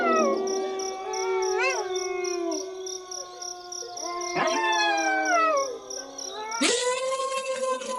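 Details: Howling wolves, several voices overlapping: drawn-out tones that rise, waver and slide down. New howls enter at intervals, and a higher, brighter voice joins near the end of the sustained chorus.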